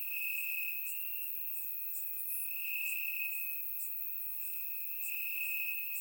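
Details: Crickets calling from grass on a warm summer night in Bulgaria, recorded in surround sound; one sustained piercing trill dominates, accompanied by quick high chirps from several other insects.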